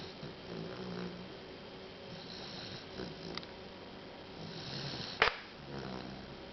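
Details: Bradley, a kitten about nine weeks old, asleep and snoring up a storm: soft, breathy snores rising and falling in a steady rhythm, with a sharp brief click just past five seconds in a quiet indoor room.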